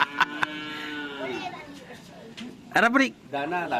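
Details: Cattle at a karapan sapi bull race training session at the Asemanis field in Pamekasan: a drawn-out, steady, low moo that bends downward at its end, followed by people talking and laughing, with a couple of sharp knocks early on.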